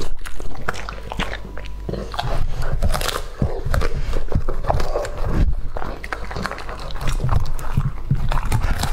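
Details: Close indoor eating by Lucky, a male English-type Labrador aged two and a half, eating raw meat: steady crunching and biting, with sharp clicky bites and heavy low-frequency chomps continuing for nine seconds without a pause.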